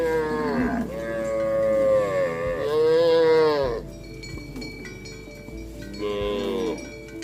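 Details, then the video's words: Tame cattle walking through mud, calling companions to head back to the barn, herded in a rice field: a long wavering moo over three seconds, then a shorter moo, with metallic bell-like clinks ringing in the background. "Suara sapi lembu Berjalan di lumpur memanggil kawan untuk pulang ke kandang - Bunyi sapi Lembu"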